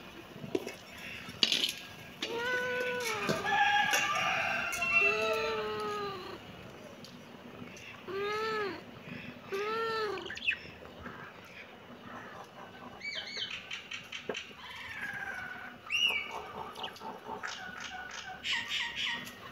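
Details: Kitten meowing: a string of short, arched mews rising then falling, several in quick runs around four and ten seconds, with clicks and clatter and a few faint higher squeaks later.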